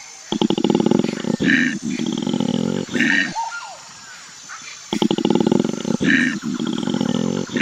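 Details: Koala. A koala calls in low, throaty bursts of rapid rasping pulses, each rising into a harsher, growling note. After a brief silence the same snoring, grunting sequence starts again.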